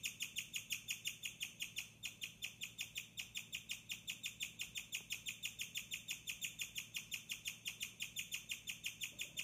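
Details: A female guinea pig, who chirps only at night and shares a cage with a cage-mate, chirps in a steady, bird-like series of high, thin notes, about three each second.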